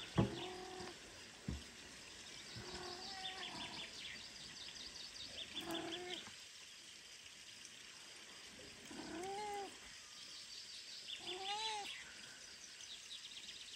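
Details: Weak newborn kitten abandoned by its mother cat, unable to feed on its own, cries in high, arched mews repeated every few seconds, some strained and wavering, against constant background hiss and a few soft thumps.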